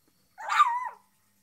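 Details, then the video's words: Shih Tzu letting out one drawn-out, slightly howling bark that bends downward in pitch at its end, clear against a silent background. "shih tzu barking"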